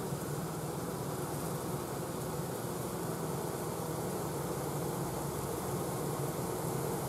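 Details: Honey bees left outside a newly hived swarm filing up a board into the entrance where the other bees and the queen are; an unbroken, deep, buzzing hum from many bees, level and steady from start to finish.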